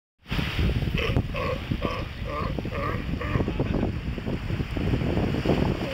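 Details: Galapagos sea lion (Zalophus wollebaeki) pups frolicking, watched by an adult, give a run of short, bleating harmonic calls over heavy wind rumble.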